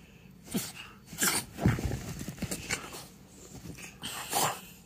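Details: Timber, a pet French Bulldog, rolling and playing in clean blankets on a couch at home, giving irregular breathy snorts and short grunting bursts among rustling fabric, with faint music behind.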